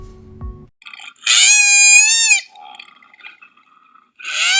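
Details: A koala gives a distress or alarm call: a loud, wailing scream lasting about a second, like a crying child, preceded by a brief low grunt and starting a second cry at the end.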